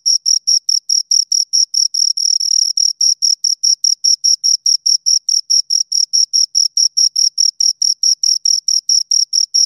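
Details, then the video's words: Shrill, rhythmic chirping from two crickets, rapid pulses repeating about five times a second, briefly blurring into a continuous trill before returning to separate chirps. "Two Crickets Chirp Sounds"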